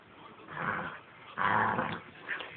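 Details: Seven-week-old puppy Gracen plays roughly with Aspen, a Husky, indoors; short rough growls swell in three bursts, the loudest in the middle, while a person repeats the puppy's name and a firm no.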